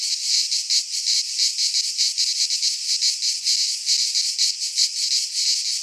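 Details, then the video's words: Cicadas from Greek fauna sing in a pine forest in midsummer: harsh, sizzling high drone with fast pulsing swells, constant from start to end. "Cicadas singing in midsummer"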